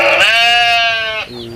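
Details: In a herd of twelve adult and six young goats being fed in the morning, a goat gives a loud, nasal, wavering bleat lasting about a second, followed by a softer one.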